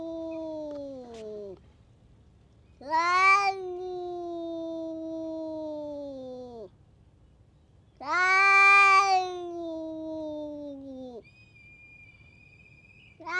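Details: Hard-bitten stray cat venting its temper on the other cats nearby, giving long threatening yowls, each swelling loud at the start and held for several seconds before sagging in pitch, with short quiet pauses between them.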